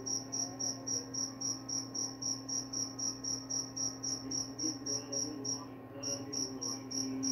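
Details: Cricket chirping steadily, shrill high pulses repeated about three to four times a second, with one brief break near the end; a constant low electrical hum runs underneath.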